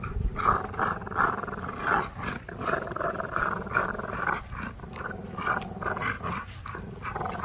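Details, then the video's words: Playful afternoon tug-of-war between two tri-color American Bullies, Gusto and Big Girl, who are not fighting. Harsh, snarling growls come in rapid, irregular surges, roughly eighty per minute, rarely pausing. "Rumble In The Jungle. Ultimate American Bully Tug O War Showdown"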